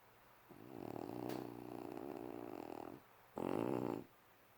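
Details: Snoring puppy: a long, throaty, rattling snore of about two and a half seconds, a short pause, then a shorter, louder snore of about one second.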